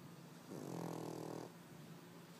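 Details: A male white Pekingese aged three snores in his sleep: one loud, rattling, buzzy inhalation about a second long, then quiet with a faint steady hum.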